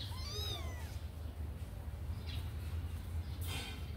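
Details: A kitten fresh out of its cage, eager to play, gives one clear high mew that bends up and then slides down. Afterwards only a low steady hum and a couple of soft knocks follow.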